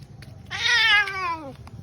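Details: Domestic cat indoors protesting while being put into clothes by its owner; a loud, drawn-out meow lasting about one second, bright at first and sliding gradually downward, with faint room noise around it.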